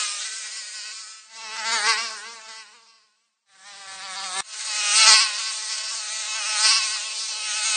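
A mosquito's thin, high whine that swells and fades as it flies close past.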